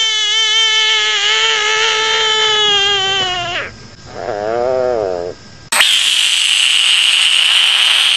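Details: Screaming frog giving a loud, drawn-out wail with many stacked harmonics for about three and a half seconds, then a shorter wavering cry, then a sudden harsh, hissing, noisy blast to the end.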